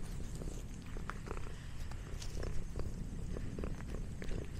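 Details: A snacking house cat gives a deep, even purr throughout, with light tapping and munching sounds on top.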